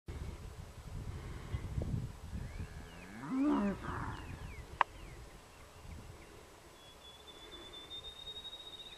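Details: Cattle on a farm: a calf being worked by a Border Collie named Jule, who keeps an eye on the mother cow during this dog-breaking training. A single short, low harmonic moo comes midway over rustling, followed by a sharp click and a thin steady whistle tone.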